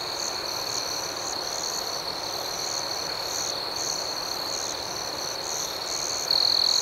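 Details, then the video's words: Gentle chirping of crickets at night, a constant high trill with pulsed chirps repeating roughly four times a second, and a nearer caller's louder trill starting in the last half second. "Soothing Cricket Sounds"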